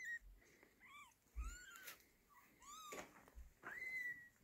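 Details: Mother cat taking her kitten from a hand, with high kitten mews: short arched harmonic calls and a longer rising-then-level cry near the end, several squeaky calls over about four seconds, soft handling noises between.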